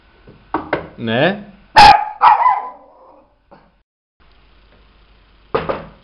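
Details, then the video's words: Mirella, a pet Miniature Pinscher, responds to a knock at the door with two loud, sharp barks mid-clip. A final bark comes near the end. A woman's Greek voice repeatedly says yes and asks who is there. "Mirella [Mini Pinscher] tock tock.. the door....! please;"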